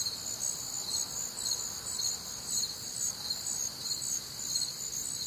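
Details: Warm, humid summer night in the American Midwest with crickets: overlapping shrill chirps pulsing quickly and evenly above a constant high insect hum.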